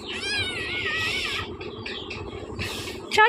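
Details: Newborn Persian kittens, a litter of five born to their mother the night before, kept as pets at home; thin, high wavering meows with a rising and falling tone over the first second and a half, mixed with people talking and light music.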